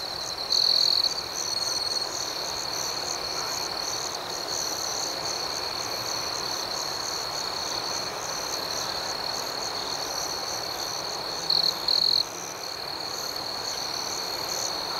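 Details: Crickets at night in a serene outdoor setting: a steady high-pitched trill runs throughout under faster pulsing chirps higher up, with two louder, closer bursts of shrill trilling near the start and again around twelve seconds.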